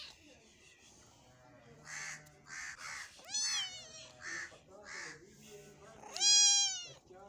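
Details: Cat eating meat: two loud, drawn-out meows with many harmonics, one near the middle and one near the end, separated by soft rhythmic chewing-like bursts and faint low background sound.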